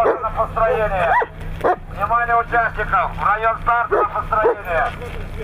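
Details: Siberian Huskies at a regional sled-dog racing competition in Nizhny Novgorod region, 3 February 2017: excited, high yelps and whines with bending, rising-falling tones, bursting in quick succession for several seconds.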